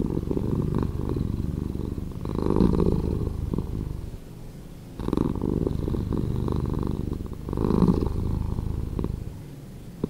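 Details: Slowed purring from a domestic cat, a soft low buzzy drone pulsing rapidly, growing and fading with each breath over several even cycles, quiet between swells.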